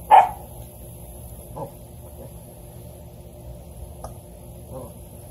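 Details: A standard poodle puppy exploring the backyard and a new toy gives one sharp, high yip, then only faint soft sounds follow.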